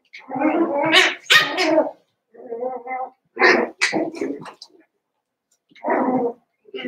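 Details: Cavalier King Charles Spaniel puppies, seven weeks old, Daisy's litter, penned inside a busy home: loud, gargling yelps with shrill peaks, a softer throaty grumble, sharp squeaky cries, then another rough yelp.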